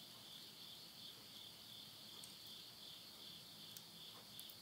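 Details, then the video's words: Night insect chorus near a house in Yurihama, Tottori, Japan, at midnight in September 2020, end of summer. Continuous high-pitched ringing trill with gentle rhythmic pulsing and faint popping from a wood stove fire. "the voice of insects"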